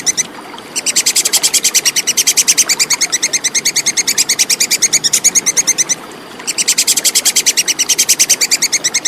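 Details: Plantain squirrel (tupai kekes) recorded clearly as tutor material for contest songbirds: after a brief lull, a long bout of quick, sharp chattering clicks runs five seconds, pauses half a second, then resumes at the same rapid pace.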